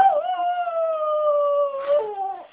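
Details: Maltipoo dog howls on command after being told "good boy": a long steady tonal howl that slowly sinks in pitch, breaks briefly near the end, then drops to a lower wavering note and fades.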